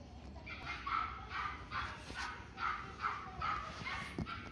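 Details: Dog at a pet shop, short yapping barks repeated in quick bursts about every half second, rather muffled, with a faint murmur of voices in the background.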